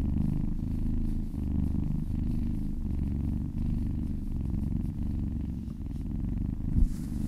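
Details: Happy cat purring while being massaged: a steady, deep, rumbling purr in continuous low pulses, with a soft click near the end.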